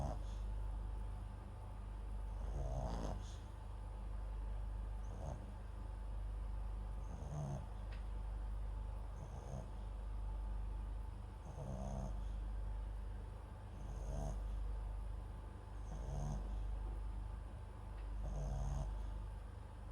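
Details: Sleeping mixed-breed dog MAX, a Papillon crossed with a Japanese Chin, snores into a nearby microphone with regular soft snorts about every two seconds, nine in all, over a low steady hum.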